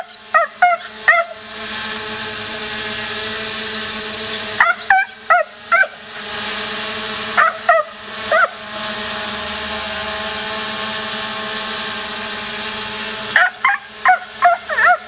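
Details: Border Collie named Fever barking while chasing a drone in play: short, sharp, high-pitched barks in bursts of three to five, grouped near the start, middle and end, over a steady mechanical drone hum.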